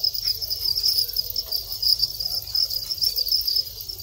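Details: Breeding Thai crickets in captivity, long-winged males calling during the mating period; loud, rapid, high-pitched chirping that swells and fades in quick pulses across the whole stretch.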